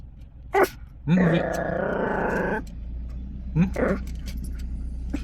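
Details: Chihuahua growling possessively over a car: one steady, rough, harmonic-rich growl lasting about a second and a half, with short bursts of human voice before and after and a low engine-like hum underneath.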